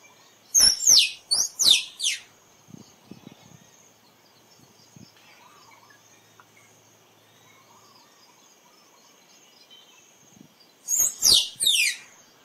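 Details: Squirrel calling: a burst of three loud, shrill notes, each sweeping steeply downward from very high pitch, then quiet with faint insect hum and soft clicks, and another three-note descending burst near the end.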